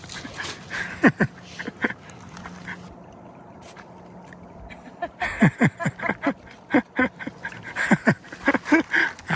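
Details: Sora, a Shiba Inu who has just turned four, living in a small Canadian Rockies town, gives short high whimpering yips with quick falling strokes: two near the start, then a rapid irregular run after a quiet pause.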